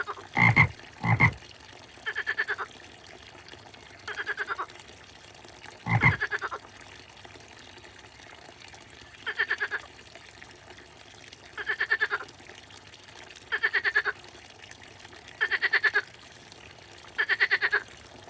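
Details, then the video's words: Frog croaking in pulsed rattling bursts roughly every two seconds, each a quick train of ticks. A few louder sharp knocks come early, over a faint watery background. "a frog and the sound of frog,квакание и звуки лягушки"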